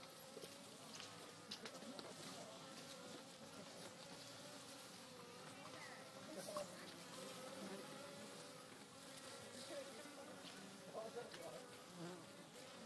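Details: Western honey bees at a natural hive in an old oak tree on a farm fill the air with a steady, droning hum, their many wingbeats blending into one buzzing tone.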